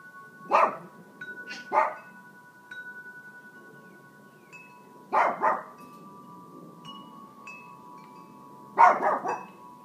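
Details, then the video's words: Family dog Mac barking while Buddy, a six-year-old African grey parrot, tries to get him to stop; short rough barks in pairs and singles every few seconds over steady ringing wind chimes. "Buddy trying to get Mac to stop barking."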